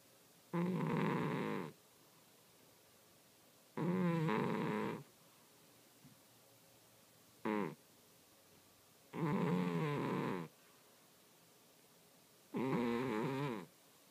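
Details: Domestic cat asleep and snoring, each breath a harsh rasping burst lasting about a second, repeated about every three seconds in an even rhythm, with one brief short snort between and otherwise a quiet room.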